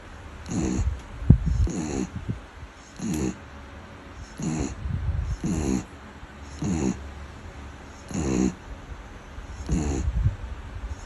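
A sleeping beagle snores steadily, each breath a low, fluttering rattle with a soft snort at its end. The snores come roughly every one and a half seconds, deep and throaty, with quiet hiss between them.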